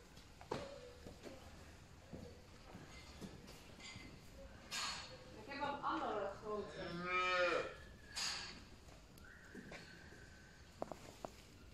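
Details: Black-and-white Holstein dairy cattle on a farm with newborn calves: one drawn-out, harmonic-rich moo of about three seconds rises and falls mid-clip, amid scattered clicks and knocks, with a man speaking Dutch and Turkish before and after.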